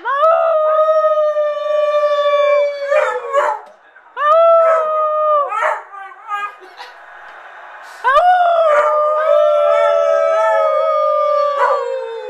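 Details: An excited Beagle, prompted by his owners, gives long, sustained howls that sag slightly in pitch and are broken by short yelps, celebrating Pittsburgh going to the Super Bowl.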